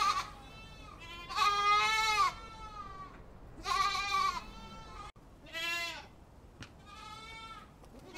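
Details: Several goats calling, long wavering bleats about a second each with rich stacked harmonics, alternating louder close calls and softer distant ones over a faint continuous hiss.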